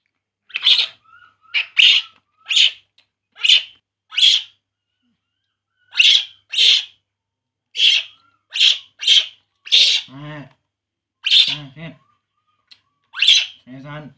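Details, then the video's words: Baby monkey named Poo crying while drinking milk; sharp, high-pitched squeals in short bursts roughly every second, with a few lower, rougher voiced cries near the end and quiet gaps between. "baby monkey Poo, Poo crying drinking milk"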